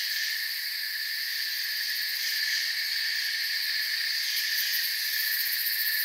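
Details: Many crickets chirping in a forest, fast pulsing shrill trills blending into a constant high hum across stacked pitch bands, even volume, no other animals or noises standing out.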